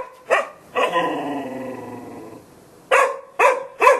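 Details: A Golden Retriever barks once, then gives a long, drawn-out whining howl lasting over a second, before closing with three quick, sharp barks.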